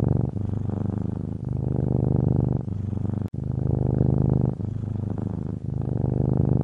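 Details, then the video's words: Cat purring in a steady low rumble that swells with each breath, about six breathing cycles, with a single sharp click near the middle. "Муркотіння кота"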